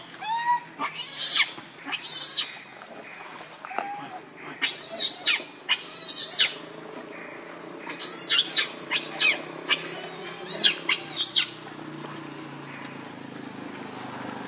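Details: Rainbow, a monkey, very angry and protecting Lucie from Kachoy: harsh, high shrieking screams in short bursts, roughly a dozen over fourteen seconds, with a couple of softer lower squeals in the gaps.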